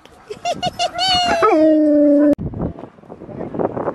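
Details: Alaskan Malamute Sojou among sled dogs at training at Farren Park, Ontario, Canada, October 24, 2020: a few quick yips rise into one long, steady howl of about a second, which breaks off abruptly into a murmur of voices and crowd noise.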